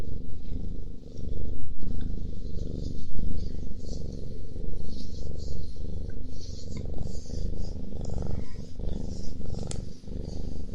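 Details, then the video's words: Domestic cat purring while eating: a steady, deep, rumbling purr with rhythmic pulses through the whole stretch, some louder surges and small clicks and rustles above it. "超治愈喵咪打呼噜吃东西 | Super healing cat snores and eats"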